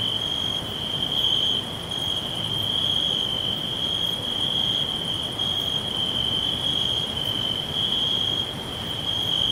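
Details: Chorus of crickets in a forest, a bright sustained trill holding steady throughout, with fainter short higher chirps repeating about every second and a low noisy background.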